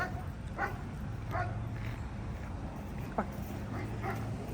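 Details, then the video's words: German Shepherd dogs in a junkyard play yard bark in short, repeated bursts from a distance over a low background rumble, barking at a reactive dog being walked past on leash. "Got German Shepherds at the junkyard barking at her."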